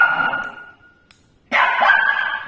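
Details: Shih Tzu afraid of a tea leaves ball infuser gives a sustained high, tonal whine-bark that fades, then a louder harsh burst after a short pause, while a woman softly reassures it in Tamil.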